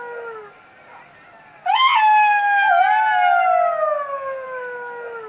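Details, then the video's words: At night in the forest a jackal howls: the tail of an earlier falling wail is followed by a pause, then a single strong, pure howl that rises abruptly and glides gradually lower over roughly three and a half seconds. "Jackal sound // Jackals howling"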